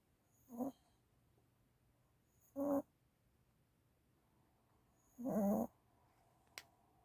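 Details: Sleeping one-year-old puppy that had previously been kept awake by seizures, snoring in three brief, harsh, buzzy snorts spaced two to three seconds apart, followed by a faint click in a quiet room.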